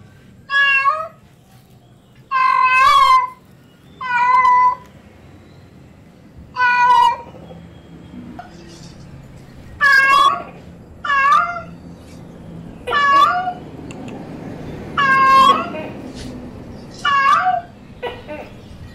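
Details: Female cat in heat calling a male: loud, drawn-out meows with a falling wail, repeated roughly every one to two seconds in about ten bouts, with quiet pauses between them.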